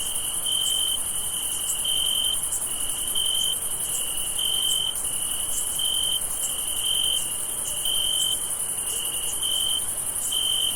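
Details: Crickets chirping on a summer night, with steady high trilled pulses and a shrill chorus behind.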